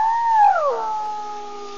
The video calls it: girlie operatic hyena call 5-1